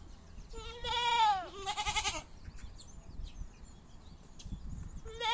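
A goat gives a loud, nasal bleat that falls in pitch, then a rougher, wavering second bleat.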